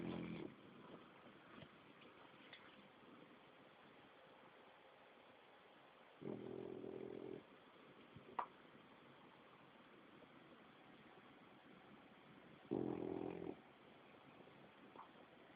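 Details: Greg, a 7-month-old French Bulldog, is asleep on a lap and snoring. Three rasping, low-pitched snore breaths, each about a second long, come roughly six seconds apart over a steady background hiss, with faint clicks in between.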